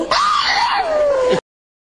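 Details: A dog vocalizing in a wavering, voice-like howl that rises briefly and then slides slowly downward for just over a second.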